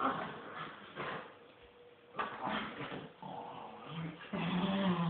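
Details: A mother miniature wirehaired dachshund and her son tugging at a toy together; scattered low growls and snuffling bursts, with a longer rising growl near the end and some background voices.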